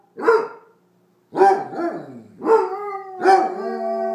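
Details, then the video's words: Two Basset Hounds, Putter and Birdie, whose play barking turns into howling: four deep, resonant barks at uneven gaps, the last stretching into a steady, sustained howl that holds its pitch to the end. "Basset Hounds Putter and Birdie unprovoked howling fest"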